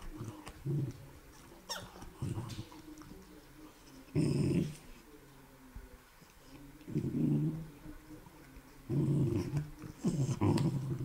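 A beagle gives deep, rough barks and growls in short bursts, spaced a second or two apart.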